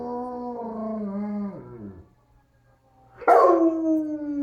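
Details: Pet dog answering a tornado siren, an ACA P-50 sounded from the next room. A sustained howl sinks and fades into a downward slide, then after a brief pause a fresh, loud howl bursts in and eases lower.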